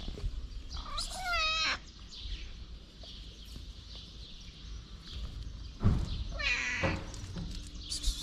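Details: Two clear drawn-out meows from a pregnant black stray cat, one early and one near the end, each bright and harmonic with a falling tail, over a low continuous outdoor rumble and occasional knocks.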